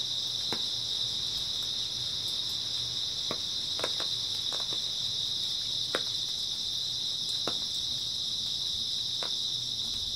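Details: Grass insects trill continuously through an early autumn night, a bright unwavering high-pitched wash, punctuated by irregular crisp clicks spread across the whole stretch.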